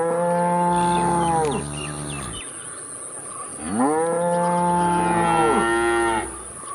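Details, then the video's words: Two deep, sustained cow moos, each bending downward at its close, with a quiet pause between and a steady high tone running through the background. "cow moo moo cute interesting cow moo video sound || cow sound effect"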